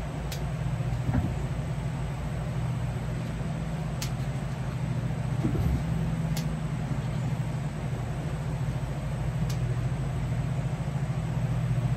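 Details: A steady low mechanical drone like an idling engine, with a few faint clicks and no animal voices.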